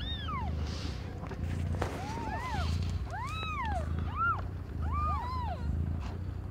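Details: Young cat Aimee in labour with five kittens of differing colours; a quick series of high, arching mews, some overlapping, repeats through the stretch over a low droning background.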